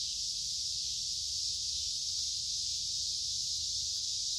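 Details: Many noisy cicadas sing in woods beside a creek in midsummer on a warm, humid day. Their chorus is one steady, high, hissing buzz that never breaks or changes pitch. No other sounds are heard.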